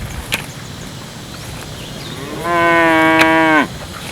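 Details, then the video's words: Village cow giving a single harmonic-rich moo of about one second, steady in pitch with a slight rise at the start and a drop at the end, after quiet background with a few clicks. "Cute and Funny Cow Sound"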